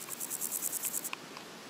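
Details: Meadow grasshopper (Chorthippus parallelus), song.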